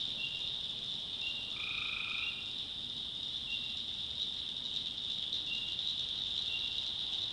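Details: Night chorus of tree frogs in North Carolina backwoods: a constant shrill trilling background, brief repeated chirps, and one longer tonal call near two seconds rising clearly above the din.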